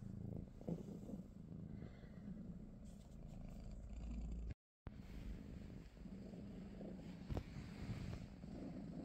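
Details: A British Shorthair cat, among Pikachu, Teddy and their niece Rosie, purrs through a relaxed morning; the deep, even rumble continues on both sides of a short silent break midway, with a couple of light knocks.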